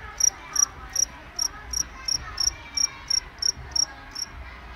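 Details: Cricket producing a series of about thirteen crisp, high chirps in under five seconds, each a quick pulsed trill, evenly spaced against a soft background rumble.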